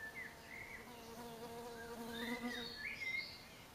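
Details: Bumblebee heard on an early-morning bike ride through Limburg's Heuvelland hills. Its low droning buzz carries a stack of overtones and swells and wavers in pitch for about two seconds, with small birds chirping above it.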